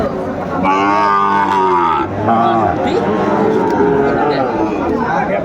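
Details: Sahiwal bull calves at a busy cattle market in Cumilla, Bangladesh, 13 August 2024: one loud, rich moo that swells and then drops off lasts over a second, followed by fainter calls amid people talking.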